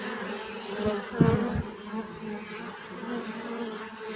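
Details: Bees buzzing in a steady low hum with a brief louder swell near the middle, under a constant hiss.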